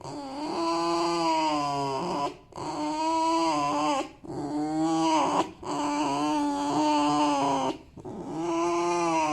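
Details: Male fox squeaking out of happiness: long, steady, high whining squeaks of about two seconds each, four in a row with short breaks, slightly wavering in pitch.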